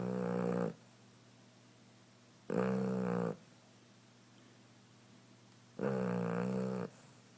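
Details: Female cat snoring in her sleep, three loud rasping breaths of under a second each, spaced two to three seconds apart, with near silence between.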